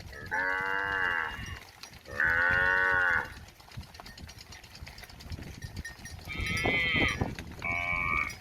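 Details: A cow standing near a house in a village gives two long, rich moos in a row, wanting grass to eat.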